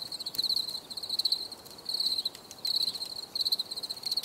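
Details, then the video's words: Relaxation recording of crickets: shrill pulsed chirps in bursts of about half a second, recurring irregularly, with occasional faint ticks behind them. "Les grillons || Bruit de Grillons"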